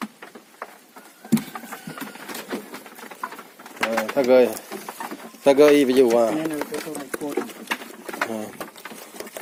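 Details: Farmed gibas sheep, a fat-tailed breed raised for quick fattening, give two wavering, quavering bleats a second apart amid steady rustling and tapping noise in the pen.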